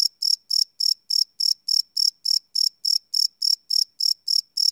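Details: Close crickets chirping at night, recorded live with a Sony PCM D100: shrill, high pulses spaced about a quarter second apart, clean background without other noise.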